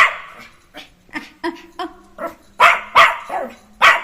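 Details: Jack Russell Terrier puppy let loose and playing: a run of sharp, high yips and short barks, about eight in four seconds, irregularly spaced, growing louder toward the end.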